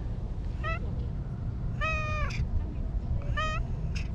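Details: Anko, a brown-and-white stray cat living by a lake in Japan, gives a rolling "nyaruru" meow three times, each call a short rising-falling harmonic cry, amid low steady outdoor rumble and a person calling her name.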